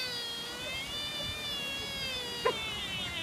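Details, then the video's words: Lone sika deer in Nara, Japan, making strange whining sounds: one long, steady, high nasal whine with a rich stack of harmonics lasting over three seconds, broken by a brief sharp click near the end. "Hilarious screaming deer in Nara Japan"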